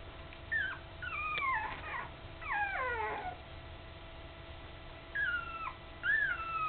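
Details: Almost three-week-old puppies, newly open-eyed and wobbling about, cared for by their mother Candy, give scattered thin whimpers that slide downward in pitch, separated by quiet gaps with faint background hiss.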